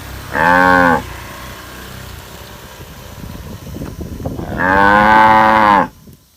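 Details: Tame cows with calves chasing green grass: a short moo, then a crackly, rustling pause, then a long drawn-out moo lasting over a second before it falls silent.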